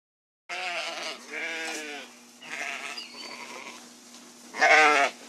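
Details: Sheep bleating in a sound collection for children: a series of wavering, harmonic baa calls, three strong bleats in the first two seconds, then quieter ones, ending with a loud bleat near five seconds over a steady low hum.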